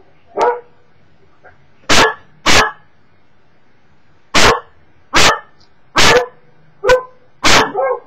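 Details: A Cocker Spaniel barks at YouTube videos, giving a run of sharp, loud barks, often in quick pairs.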